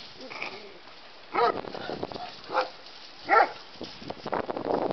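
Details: Playing together as they learn the rules of engagement, a terrier mix and a bulldog let out three short, gruff barks roughly a second apart, followed by a rising rush of scuffling and panting noise.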